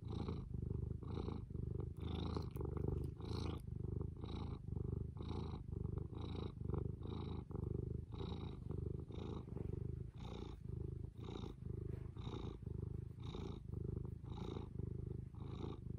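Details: Fū, a domestic cat, purring steadily: a deep low rumble pulsing in even cycles just under one per second, each breath-cycle marked by a faint airy hiss higher up, continuous throughout with no other sounds.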